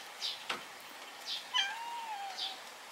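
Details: Stray cat family settled at a home, a mother with black son Kurochibi and brown daughter Chachibi, in spring around a homemade hammock; a drawn-out meow gently rising then falling, with short faint squeaks before it.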